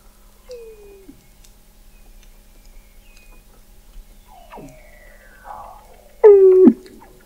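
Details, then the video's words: Weddell seal under the sea ice of McMurdo Sound, Antarctica, November 2017, recorded 21 m below the ice: a short falling whistle, faint high tones, a sharp downward sweep, then a loud harmonic call dropping in pitch. "Song of the Antarctic Weddell Seal"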